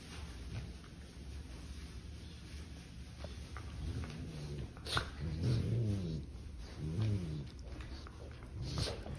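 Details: Puppy siblings at play inside, their low play growls rising into a few harmonic grumbles and soft whines toward the second half, over steady background rustle and handling noise.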